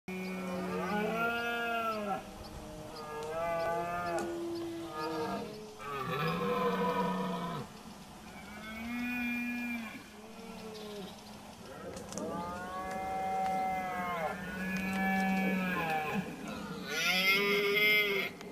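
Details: Red deer stags in the September 2016 rut in Sierra de la Culebra, two males fighting near hind groups. Repeated long moaning roars, rising then falling, several overlapping, some hoarse and broken, with a few sharper bursts near the end.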